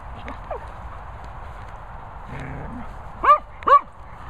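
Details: Female Cocker Spaniel telling off another Cocker Spaniel: a brief low rumbling growl, then two sharp, loud barks in quick succession near the end, over a quiet background.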